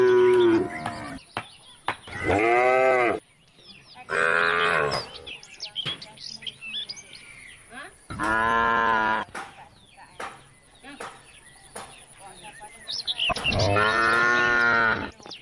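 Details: Cows roaming country roads call the herd home to the barn with four separate long moos, each about a second or more, spaced several seconds apart, with bird chirps and twitters in the gaps.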